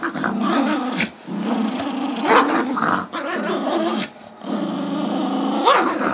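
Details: A playful tug battle between Gizmo, a Chihuahua/Yorkie mix aged five, and his younger Yorkie brother Tigger over a squeaky toy. Steady throaty growls run throughout, interrupted by a few high squeaky yelps and short gaps.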